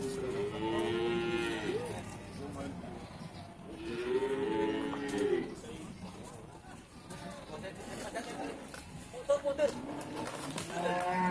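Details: Cattle at Pasar Wage Bumiayu, a busy livestock market in Indonesia: several overlapping drawn-out harmonic moos, some rising then falling, among crowd noise, faint speech and background music.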